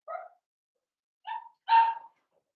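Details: Cavalier King Charles Spaniel puppies, seven weeks old, from a litter of five blenheims in a home pen: three short high yips, the last one louder and longer, separated by silent gaps.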